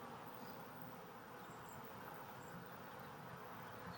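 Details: Honey bees in a hive split being re-queened with a new caged queen: a faint, steady, even hum spread across a broad range of pitches, unbroken for the whole stretch, with no voices or other clear sounds.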